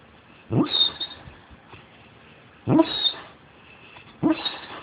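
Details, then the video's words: A giant hound dog asleep and worn out after two days of play, jowls puffing as he snores; three loud snorting breaths with a whistling upper edge, each burst about every one and a half to two seconds, quiet between. "The Giant Hound Dog Snoring"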